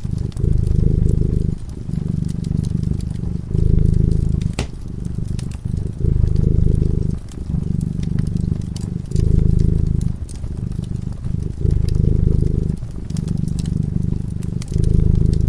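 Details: Sleeping cat by a cozy fireside, purring continuously: a deep, throbbing rumble that swells and dips with each breath every one to two seconds, overlaid with scattered snapping fire crackles.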